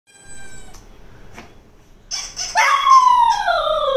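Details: Cocker spaniel named DeeDee reacting to a squeaky toy sound: faint high squeaks early on, then a loud drawn-out howling whine that starts high and slides steadily downward over about a second.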